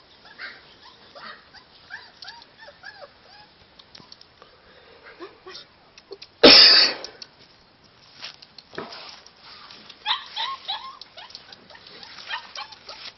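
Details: Forty-two-day-old Samoyed puppy, Alfa Romeo Markson Virta Valo, born 1 July 2013, giving a string of thin arched whines that rise and fall, broken by one sudden loud bang, then more whimpers toward the end.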